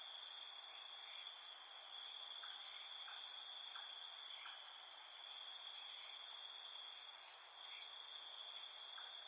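Crickets trill in a steady, high-pitched night chorus, several voices layered at different pitches.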